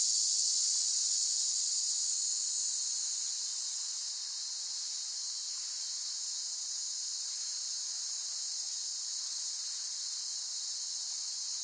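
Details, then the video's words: Cicadas in a dense, continuous high-pitched buzzing drone with a fine rapid pulse. The chorus is loudest at the start, eases down over the first four seconds, then holds steady. "เสียงจักจั่น ฟังเพื่อผ่อนคลาย (Cicada Sound Effects)【セミの声】"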